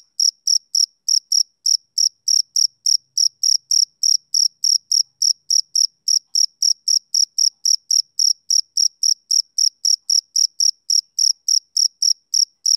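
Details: Shrill male cricket chirping, repeated rapidly at a steady pace of nearly four chirps per second, with no other sounds.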